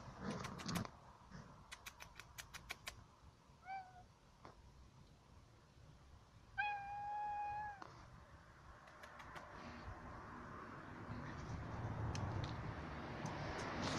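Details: A friendly neighbourhood female cat met outdoors gives a short meow, then a long, steady, drawn-out meow lasting about a second, with quiet rustling and faint clicks before and a rising hiss of background noise afterward.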